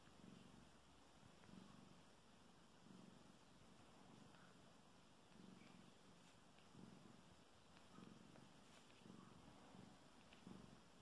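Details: A mother cat with newborn kittens born nine hours earlier, during their first nursing, purring softly. The low, rough rumble pulses steadily at a breathing rhythm of about one cycle every one and a half seconds in a quiet room.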